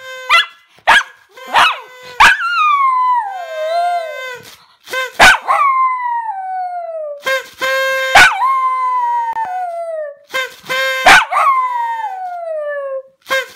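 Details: Toby the dog singing in a series of wavering howls that rise sharply and then glide down, separated by sharp clicks, over a steady, unchanging low tone that persists beneath.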